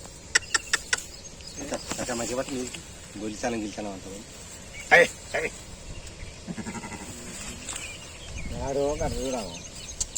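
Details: Sheep that gave birth to a six-legged young, bleating in several quavering, wavering cries spread through the stretch, mixed with people talking nearby and a few sharp clicks and knocks.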